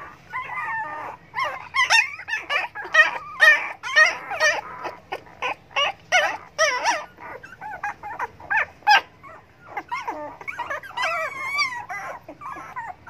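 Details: Several hungry dogs beg for food with a dense run of overlapping whimpers and yelps, bursting quickly and irregularly, about two per second, with a wavering high whine near the end.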